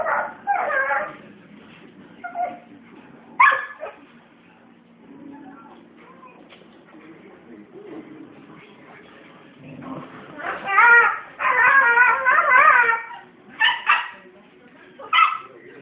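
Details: A 19-month-old Australian Cattle Dog making dingo-like noises while teaching a 10-week-old puppy; bursts of yowling, warbling whines and yips at the start and around the middle, with the loudest wavering run near the end and quieter stretches between.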